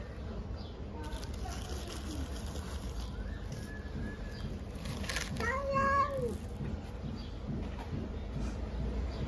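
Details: Stray cat being fed on the street gives one clear, drawn-out meow that rises and then falls, after softer, fainter mews earlier on. People talk nearby against steady background hum.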